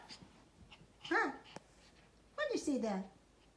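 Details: A playful Pomeranian gives two short yelping barks about a second apart, the second longer and sliding downward in pitch, in a quiet indoor room.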